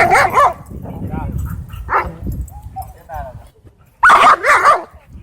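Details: Dogs at a dog park, where an angry black dog fights off a Pitbull and a German Shepherd: loud, harsh barks burst out at the start and again near the end, with quieter yips and human voices in between.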